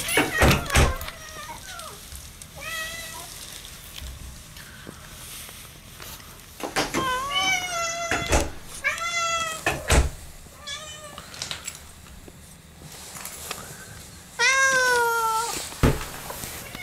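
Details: Female house cat welcoming her owners home at the front door: a series of short, bright meows, some falling in pitch, scattered among loud thumps, clicks and door noises, ending with a longer, louder meow.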